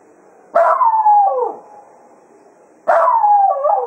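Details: Cato, Jack Russell Terrier, bidding the hounds farewell after foxhunting at Quail Roost: two wavering, downward-sliding howls roughly two and a half seconds apart.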